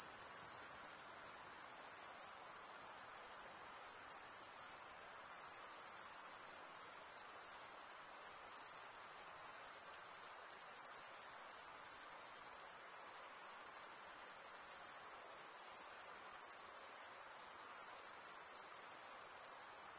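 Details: Crickets, males stridulating with serrated wing veins, keep up a constant shrill ringing trill for twenty seconds with tiny pulses in loudness and a low hiss beneath.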